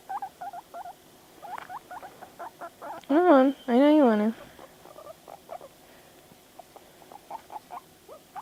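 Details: Panda the pet guinea pig, stirred by videos, utters rapid short squeaks interrupted by two loud sustained wavering wheeks, then returns to quick rising chirps.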